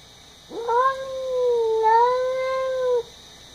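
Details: Sonja, a house cat indoors, screaming at a neighborhood cat just outside the window: one long drawn-out wailing cry that rises sharply, holds steady, dips, then swells again before cutting off after about two and a half seconds.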